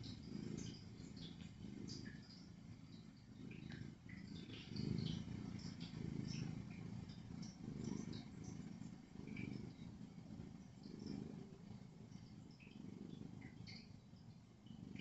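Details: Tabby cat, a rescued female, snoring through the night after a long day of sleeping indoors; low rumbling breaths rise and fall in slow cycles every couple of seconds, with a steady purr-like flutter underneath.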